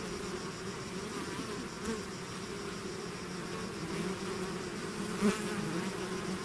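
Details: A bee swarm leaving its hive fills the air with an unbroken droning buzz, several humming pitches stacked together, and one nearby bee briefly louder shortly after the fifth second.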